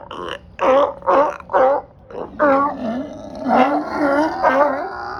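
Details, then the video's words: Loud sea lions on a dock in Marina Del Rey, California, calling back and forth: four short, hoarse honking barks, then longer overlapping groaning, bellowing calls from several animals. "LOUD SEA LIONS & SEALS in California! Sounds a bit like a Yeti?"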